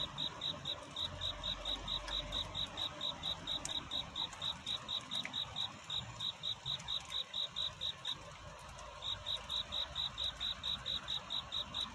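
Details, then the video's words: Night courtship song of a cricket, evenly pulsed high chirps, roughly two per second, with a brief pause near the eighth second before the rhythm resumes over a hissy background. "편안한 잠을 부르는 귀뚜라미 울음소리. 슬퍼 말아요 우는 것이 아니라 사랑을 찾는 노래랍니다 구애의 밤"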